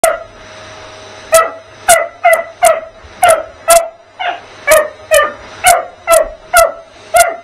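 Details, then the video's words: Bugs, a vocal puppy, barking at a running vacuum cleaner indoors: sharp high yaps, about ten in bursts with a short pause, over the steady hum of the vacuum motor. "Bugs The Puppy, Another Vacuum Another Bark"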